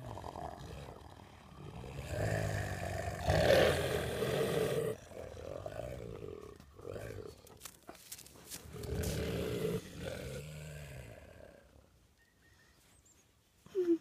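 Two wolves trade deep, rumbling growls in rough bursts as they settle a dispute.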